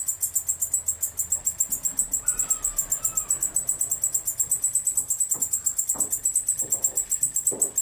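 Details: Singing male katydid of the species Decticus albifrons, continuous high rasping pulses about four per second, with a brief faint whistle-like sound and scattered low clicks in the background.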